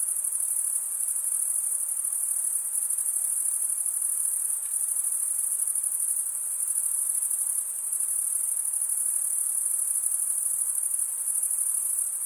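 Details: Many crickets stridulate together, males running one wing over the serrated vein of the other. A bright, high, even drone of rapid pulses continues without pause, with only faint background hiss beneath.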